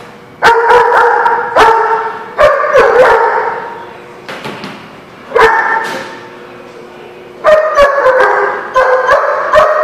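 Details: Dog barking in loud, drawn-out, harmonic barks, several in quick runs with short pauses between, some clipped yips and sharp knocks in between.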